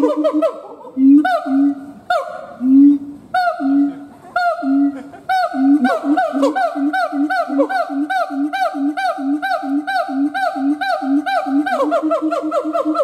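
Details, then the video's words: Siamang gibbon howling: loud, repeated calls stacked with ringing harmonics, with low booming notes at first, then a quicker run of rising barks over a steady drawn-out tone. "Siamang Gibbons monkay howling"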